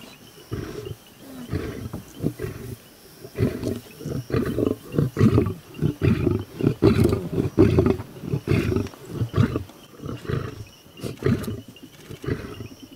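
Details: Wild lions in the Maasai Mara, attacking a buffalo herd, give a long series of deep, rough grunting roars and growls, about one per second in an uneven rhythm, rising and falling in loudness.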